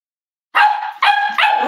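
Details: Cavalier King Charles Spaniel puppy at a home raising emotional support animals, on a warm Friday morning: after a brief silence, three high, tonal yipping barks follow in quick succession, each drawn out with a steady ringing pitch.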